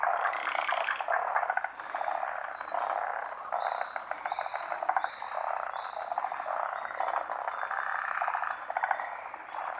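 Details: Forest green tree frogs, a species found only in Japan, calling around midday spawning on branches over still water in the rainy season; dense overlapping rattling croaks form a continuous chorus, with brief higher chirps mid-clip.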